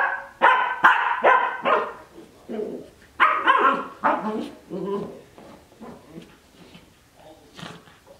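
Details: Cardigan Welsh Corgi puppy, 12 weeks old, playing in its dog bed: a rapid run of about a dozen short, sharp barks and yips, loudest in the first seconds, then thinning to softer, scattered yaps.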